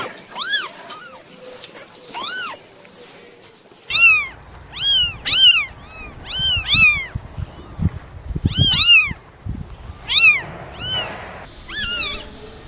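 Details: Baby kittens meowing: many short, high, arching mews, some overlapping from more than one kitten, coming in quick bursts with brief gaps. Light knocks and handling sounds in the background.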